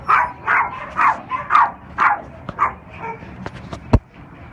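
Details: Unaltered male Cairn Terrier and Lhasa Apso mix, three years old, black and tan, at OC Animal Care, giving a quick run of sharp, mid-pitched barks about two per second, then sparse clicks and a knock.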